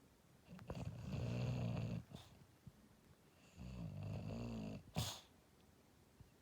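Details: English Bulldog asleep and dreaming, snoring in a quiet room; two drawn-out, low rumbling snores about two and a half seconds apart, with a brief sharp snort or sniff after the second.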